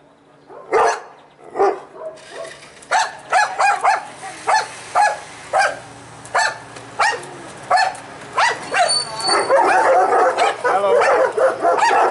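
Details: Dominant male Kuvasz and a cheeky Mudi barking while guarding the house against a postman: sharp, loud barks in quick irregular bursts, about one or two per second, with overlapping yaps and a faint high tone near the end.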